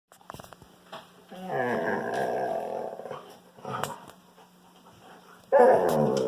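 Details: Wolfdog growling while playing indoors with a Kangal puppy: a harsh, rumbling, harmonic growl sustained for about two seconds, then a shorter snarling burst at the end, with small thumps and scuffles between.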